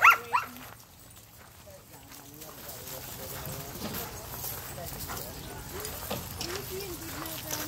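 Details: German Shepherds at a monthly play group of 112 dogs, 111 of them German Shepherds plus one black lab, playing together; two sharp loud barks open the clip, then a steady murmur of people talking and dogs milling about.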